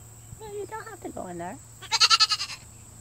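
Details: Ten-week-old Nigerian dwarf goat kid, one of two newly added to a family, gives a short, quavering, pulsed bleat lasting about half a second, preceded by a person's voice.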